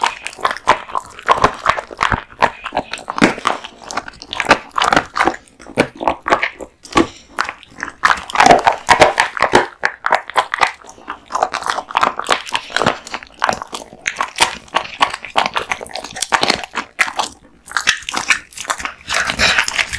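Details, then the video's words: Male American Bully named Kotetsu devouring raw meat and bones at home; dense, irregular crunching and gnawing with sharp bone cracks and wet smacking, continuous through the stretch. "大食い犬ASMR】デカ盛り生肉ランチを豪快に食べまくる愛犬の飯テロ動画MUKBANG Dog eats raw meat bones"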